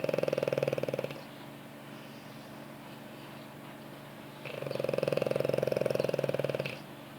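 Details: French Bulldog, a very pampered dog, asleep on its owner's lap, snoring indoors: two rattling, pulsed snores, the first about a second long and the second a little over two seconds long, separated by quiet breathing.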